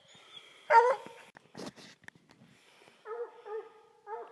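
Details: Coonhounds: one short, loud, harsh yelp, then scattered rattling and scuffing, followed by three brief wavering, whining cries near the end.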